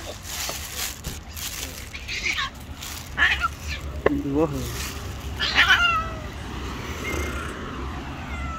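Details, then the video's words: Angry white stray cat and rival tabby cat fighting, with a slap; scattered short harsh yowls and growly cries, one wavering howl mid-way, amid low street rumble. "Angry White Cat gets slapped by another rival Angry Tabby Cat."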